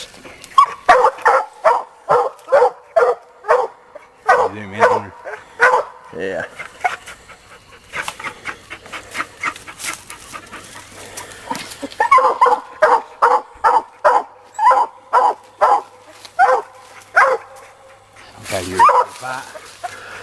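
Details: Young Black and Tan coonhound named Sadie baying on a coon hunt after treeing a raccoon, loud chopped barks repeated roughly every half second, with men talking briefly in between.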